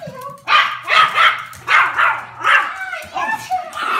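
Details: Excited Pomeranian puppy greeting its owner home from work: a burst of short, high yipping barks in quick uneven succession, with a thin whine at the start.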